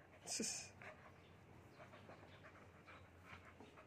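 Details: Carbonado Belgian Malinois dog during play, breathing in soft, breathy panting bursts repeated roughly every half second, opening with a brief sharp hissing burst; a few words spoken nearby.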